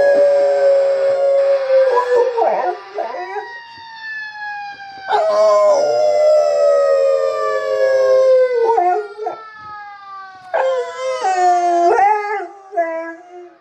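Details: Boxer dog howling at a fire engine: long sustained tonal howls with many harmonics, sliding slightly in pitch, in several drawn-out bouts separated by short pauses and yelping breaks; no clear siren stands apart from the dog's voice.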